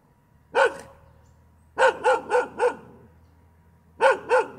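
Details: A single bark, a pause, then a run of four quick barks and another pair, a dog barking on and on with near silence between bursts.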